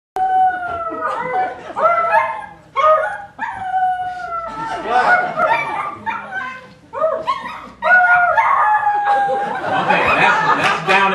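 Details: Pet dog 'singing' folk songs: a series of drawn-out, wavering tonal howls, each sliding and holding a steady pitch for about a second, repeated with short breaks, while a person's voice sings and talks alongside.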